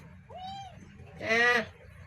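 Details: Kitten, one of a pair, with a soft short arched mew followed by a louder, harsher, brief cry; a person speaks nearby.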